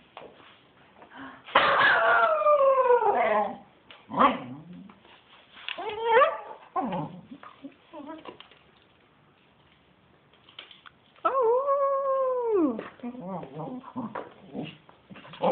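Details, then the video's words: Spencer, a pet dog going a bit crazy while playing wildly, gives long sliding howl-like cries that fall in pitch, broken by short yips and whimpers, with a person calling to him between outbursts. "Spencer going crazy"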